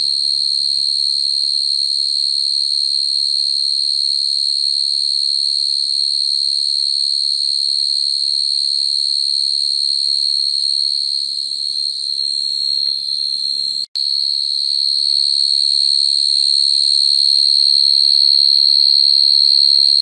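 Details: Field cricket trilling at night to attract females, the sound used to trap crickets; a steady, even, very high continuous trill, briefly cut by a click near fourteen seconds, with soft low-pitched background sounds in places.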